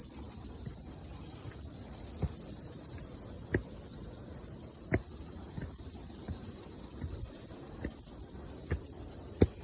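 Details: Cicada chorus after rain during a morning hike up a mountain, a continuous shrill high buzz held at even loudness, with scattered soft clicks and taps, possibly footsteps.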